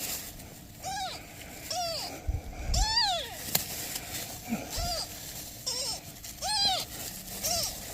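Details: Newborn kittens with their mother cat, who is asking for help: a series of about seven high, arched, harmonic meows spaced roughly a second apart, each rising then falling, over faint outdoor background noise.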